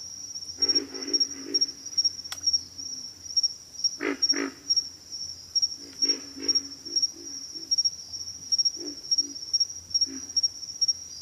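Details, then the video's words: Deep, hoarse grunts from pig frogs, given in clusters of two to four quick pulses with pauses between, beneath a constant shrill, rhythmically pulsing insect trill. "pig frogs - sound effect"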